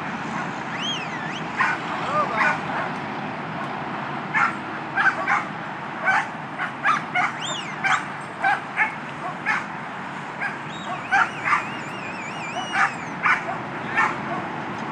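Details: Barking from Skye, a two-year-old Border Collie bitch in herding practice ahead of her second trial: quick, uneven yips and barks through the clip, with rising and wavering whistles heard early and again later.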